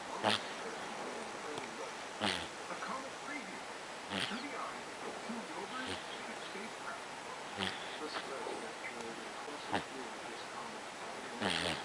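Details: A Sphynx cat snores steadily, each breath a short, breathy, rasping burst repeating about every two seconds over a low constant hiss.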